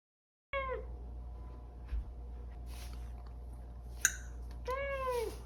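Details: A pet cat begs for its morning breakfast inside the home, giving a short descending meow at the start and a longer falling meow near the end, with a soft tap in between and a constant low background hum.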